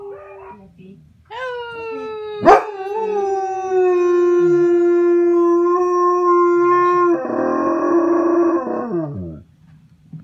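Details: A German Shepherd howling at YouTube videos gives a long, mournful howl that slides down and holds steady before breaking into wavering tones.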